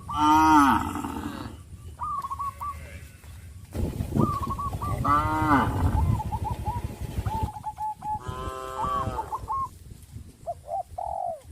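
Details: Herd of tame, traditional village cattle calling to their companions: three long, wavering, richly harmonic moos roughly four seconds apart, with short, high chirping notes repeated between them.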